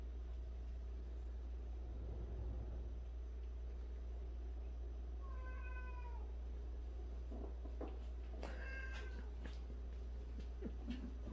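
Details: Domestic cat among a household of 76 cats, including abandoned cats, one of which grooms the others' faces daily; a single falling, harmonic-rich meow near the middle, then a second meow with clicking noises, over a steady low hum.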